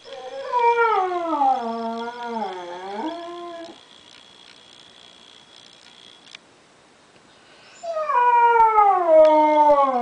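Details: Diva the dog, missing grandson Derek after hearing him on a computer, gives a wobbling, undulating howl that dips and rises, goes quiet for several seconds, then resumes with a bright howl gliding slowly downward.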